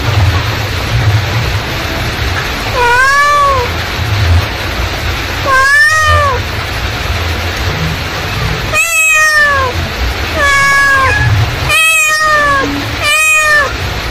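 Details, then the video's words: Mother cat calling with six arched meows, the first pair spaced a few seconds apart, then quicker, shorter cries near the end, over a steady low rumble of background noise. "suara induk kucing memanggil"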